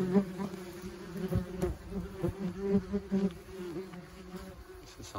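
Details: Crowd of German wasps leaving and circling their nest; a dense low buzzing drone with a faint higher overtone, repeatedly swelling as single wasps dart near, over light handling knocks.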